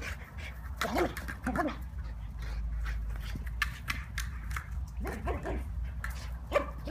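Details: Tazz, a rescue Belgian Malinois, plays with a ball in a high-energy burst. Short whiny vocal bursts come at about one, one and a half and five seconds. They sit among clattering thuds of play over a steady low hum.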